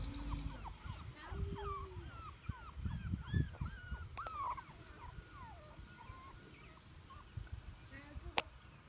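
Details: Teddy Bear puppies at Denning Farms playing outside, giving a run of high, rising-then-falling whimpers and yips, several per second for about five seconds, with a woman's voice and low wind rumble beneath.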